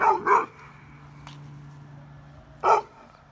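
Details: Bulldog and Mastiff/Pit mix Winston in a tense dog park confrontation; two quick loud barks in close succession open, then a steady low hum, and one more sharp bark follows about two seconds later.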